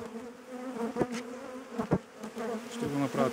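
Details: Aggressive honey bees swarming around the beekeeper at an April hive check while the colony requeens itself: a persistent humming drone with wavering pitch, close passes swelling in volume, and scattered knocking sounds.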